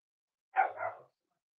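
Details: Cavalier King Charles Spaniel puppies almost eight weeks old, kept indoors at a family home: one short yappy bark lasting about half a second, bright and harmonic, in an otherwise quiet room.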